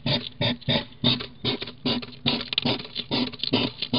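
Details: Female hedgehog huffing at a feeding station as a submissive three-legged male arrives; she makes a lot of fuss. Breathy, noisy huffs come in quick bursts about every 0.4 seconds, steady and insistent throughout.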